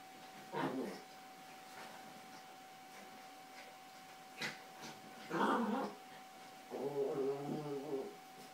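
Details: Two Yorkshire Terriers, Carla and Paco, play and fight over toys on a bed, giving three short, low, rough growls spaced a few seconds apart, with quiet room pauses between bursts.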